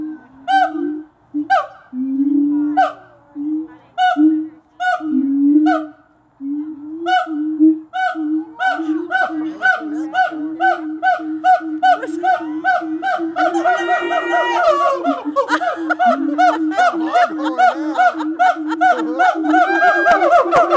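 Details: Captive siamangs at Gulf Breeze Zoo in a long calling bout: steady booming barks every half second that build and speed up, joined midway by a dense, rising chorus of shrill whoops and shrieks that grows louder toward the end.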